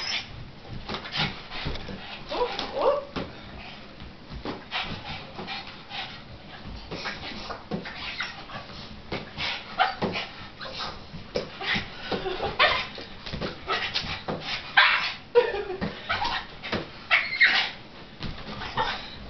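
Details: Shirley, a pet dog frustrated while watching a giant balloon being batted around, gives scattered high whines and short yips between sharp thumps of the balloon being hit, with a faint human voice now and then.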